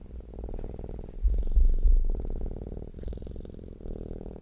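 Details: Domestic cat purring, a deep, low rumbling hum that is continuous and rhythmic, made when content and relaxed; the steady throb breaks into phrases about a second long with brief pauses between breaths.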